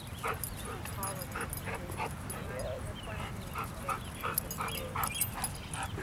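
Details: Dogs playing together off leash at the Broomfield Commons dog park, among them a roughly ten-and-a-half-month-old dog named Fozzy. Short yipping barks in quick, uneven bursts, with people chatting nearby throughout.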